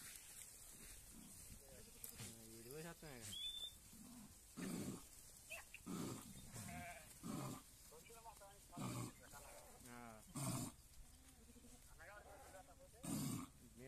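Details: Domestic rams fighting: several wavering, quavering bleats spread through the recording, with loud bursts of a man talking in Telugu between them and a steady background rustle.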